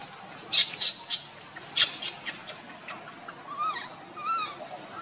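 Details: Monkey recorded while Luna runs fast carrying baby Luno and Rainbow tries to take Luno away; a few sharp clicks and knocks come first, followed by two short arched, harmonic squealing calls near the end.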